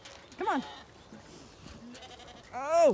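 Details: Zwartbles lambs bleating at breakfast on a County Kilkenny farm in Ireland, early summer morning: a short rising-falling bleat, a pause with faint rustling, then a loud wavering bleat at the end.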